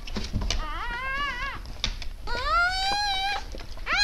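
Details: Siberian Husky indoors during the birth of eight puppies on 12 December 2015, around 20:30. Two drawn-out, high whining calls, each wavering slightly then rising at the end, with faint knocks and rustling between them.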